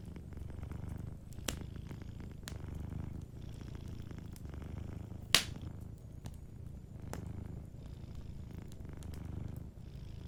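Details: Quiet low purring from a sleeping cat, fainter and steady, mixed with a fireplace whose loud crackles and one sharp pop stand out above the rumble.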